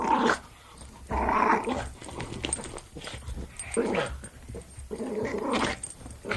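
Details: A Jack Russell Terrier growls during play, gruff throaty rumbles coming in four or five bursts roughly a second apart, each rising and fading, over a low background hum.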